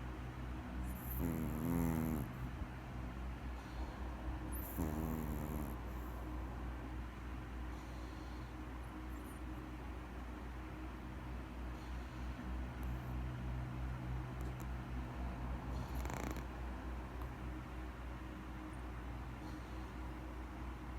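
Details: Maltese puppy asleep and snoring, with two nasal whistling snore bursts early on over a constant low rumbling breath and faint background hum, then quieter steady breathing with a short hissy sound later.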